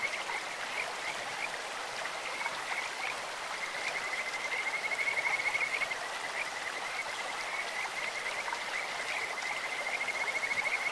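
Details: Kajika frogs along a clear stream, a voice likened to birds or insects: bright high whistles repeated many times, forming short trills, over an even wash of running water.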